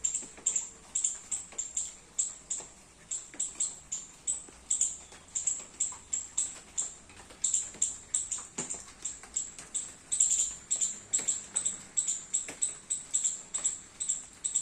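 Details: Squirrel in a garden in the rain, eating baby coconuts, calling with rapid, very high, thin chips repeated about three times a second in a steady run. Soft pattering sounds are heard beneath.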